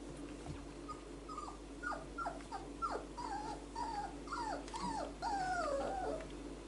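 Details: Kestrel, a four-week-old male Whippet pup, exploring his range of vocals: a quick run of high, falling whimpers and yelps, some wavering and drawn out, about two or three a second over a steady low room hum.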